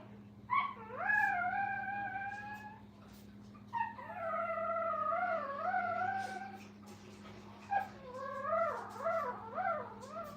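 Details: Brittany puppies with their mother at a puppy training kennel, heard in a live stream: three long, wavering whines, each drawn out for two to three seconds, rising and dipping in pitch, over a steady low electrical hum.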